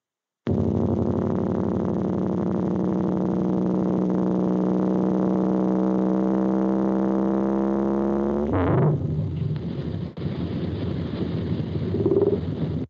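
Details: A blue whale's warning call, normally far below human hearing, was recorded with low-frequency instruments and raised in pitch into a long, buzzy, steady drone that slowly rises.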